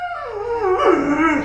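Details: Indoors, pet Alaskan Malamute Luo Luo, told to come down to be blow dried, lets out a falling, then warbling woo-woo howl with quick pitch wobbles, ending in short rising yodels over a faint hum.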